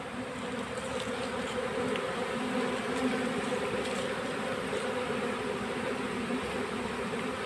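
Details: Constant humming drone of a honey bee colony during capture into a box, an even, unbroken buzz with little variation throughout and faint clicks above.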